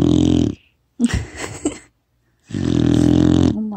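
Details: Kkotsuni, a four-month-old female retriever puppy, snoring loudly while asleep, filmed on a phone: two long, rough, buzzy snores about a second apart, with a shorter raspy breath between them.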